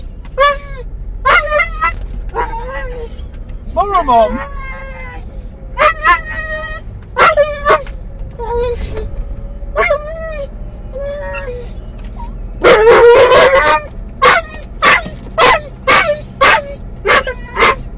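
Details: Mungle the Doberman/collie cross, muzzled in a car to stop him chewing seatbelts, whimpers for his lost Moromom: scattered thin rising and falling whines, then a fast run of sharp yips near the end, with a person speaking and vehicle hum.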